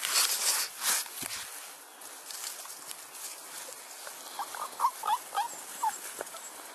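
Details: Six-week-old bulldog puppies from a Felony x Noah litter follow a person around and chase and bite playfully. A run of short, high, squeaky whimpers and yips comes in the second half over rustling and handling noise.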